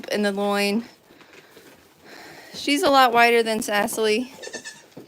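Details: A steady, nasal goat bleat at The Willful Goat Farm & Home, followed after a pause by a run of shaky, broken bleats lasting over a second.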